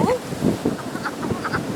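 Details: Wood frogs at a vernal pool on the first warm wet night of early spring, out looking for mates; a chorus of short, low, duck-like clucking croaks overlapping in quick succession.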